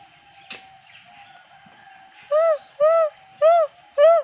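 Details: Lar gibbons (white-handed gibbon, Hylobates lar) at Avilon Zoo sing, giving four loud, clear hoots, each rising then falling, about twice a second.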